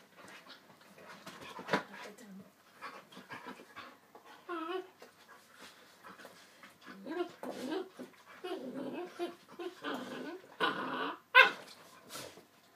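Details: Yellow Labrador Retriever puppy, 9.5 weeks old, playing with a three-year-old chocolate Labrador: scattered soft whines, brief yelps and short growly grunts amid panting and scuffling, with a quiet human exclamation.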